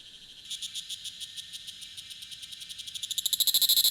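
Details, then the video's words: Tanna cicada from Taitung, Taiwan, 1000 m elevation, recorded with a Sony A7s3 and Rode shotgun mic: quiet rapid pulsing that builds steadily, ending in a loud, intense, fast-ticking burst. "未知暮蟬2 蟬鳴聲"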